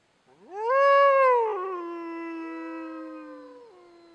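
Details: Wolf howl: a single voice sweeps quickly upward, holds a long steady tone that gradually lowers and softens, then drops slightly near the end. No other sounds.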